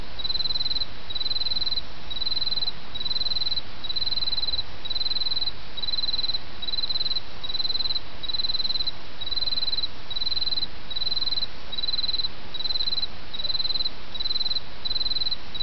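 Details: In autumn, an insect gives a long run of bright, high buzzy pulses, each under half a second, spaced evenly about every 0.7 seconds, backed by the continuous rush of a stream.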